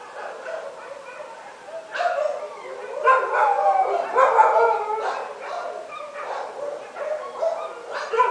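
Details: Dogs barking at midnight, a dense chorus of overlapping barks and yelps from several animals, steady and irregular, building in the middle and continuing to the end.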